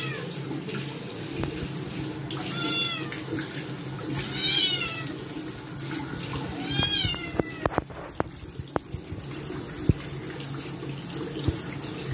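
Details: A Scottish kitten that dislikes its bath meows loudly three times, each a bright wavering cry about two seconds apart, over the constant hiss of a running faucet, followed by sharp knocks and splashes.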